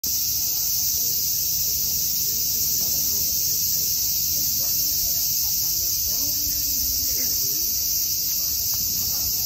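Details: Cicadas in a steady, unbroken high buzz that holds at an even pitch for the whole stretch, with faint low murmurs beneath.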